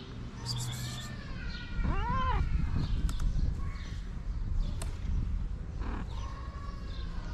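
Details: Homeless street cats, a mother and her shy kittens outdoors. One clear arched meow near the middle, with fainter mews before and after, over heavy low rumbling noise.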